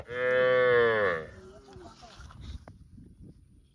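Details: Mooing cow in a park: a loud, full moo opens and fades after about a second, followed by quieter rustling and low background noise.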